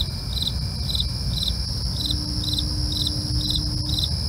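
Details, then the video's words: Cricket chirps at night, crisp high pulses spaced about half a second apart, with a continuous ringing insect trill above and a low rumble underneath. "night crickets asmr for you, can't sleep? try to relax with our real sound"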